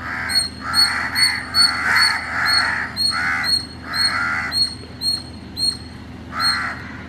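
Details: Indian palm squirrel in Chennai, Tamil Nadu, at early morning, giving short, piercing chip notes at an uneven pace, mixed with several loud, hoarse rasping bursts.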